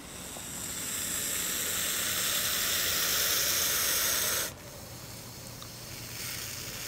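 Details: Hognose snake playing dead, giving a steady broadband hiss that swells over about four seconds and then stops abruptly, leaving quiet background with a fainter return of hissing near the end.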